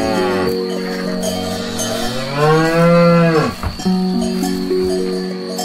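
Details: A grazing cow eating grass lets out one long, bellowing moo that rises then drops, with a shorter low call after it, over constant cowbell jingling.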